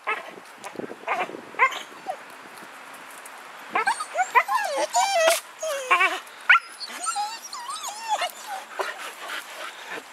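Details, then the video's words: Siberian Husky, a talking pet dog that has found a squirrel, giving long strings of wavering, yodel-like whines and warbles with bending pitch, some overlapping and faster toward the end, a person's voice faintly mixed in. "Talking Husky Finds a Squirrel"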